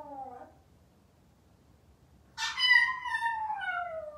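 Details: Maltese dog left home alone, waiting for its family to return: a brief tonal whine, then after a pause a loud, drawn-out howl with rich harmonics, slowly sliding downward, in a quiet indoor room.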